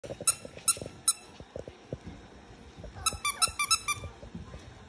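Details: Havanese puppies, eight weeks old, giving high thin squeaking yelps in two bursts, a few spaced cries early then a rapid cluster of five or six squeaks near the end, over soft low knocking and shuffling sounds.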